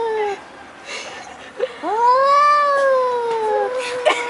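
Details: Domestic cat making an odd noise: a long, drawn-out yowling meow that rises, holds, then slowly falls, preceded by a shorter descending mew, with faint indoor background noise.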